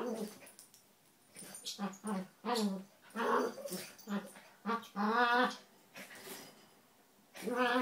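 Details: Two small pet dogs, Donut the red toy poodle and Dino the Maltese, wrestling playfully indoors, not fighting or biting; short harmonic growls and yips in uneven bursts, some rising and wavering, with quiet gaps between.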